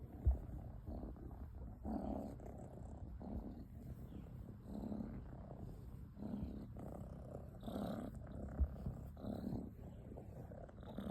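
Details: Sleeping kitten snoring softly, with low, rough breathy bursts rising and falling roughly every one and a half seconds in a steady rhythm. The room is otherwise quiet.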